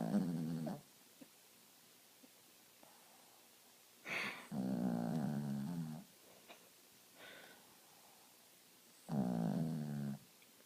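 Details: Sleeping pet dog, deep asleep, snoring in a small room: rough low rattling snores about every four to five seconds, each near a second or more long, with soft breathy sounds between.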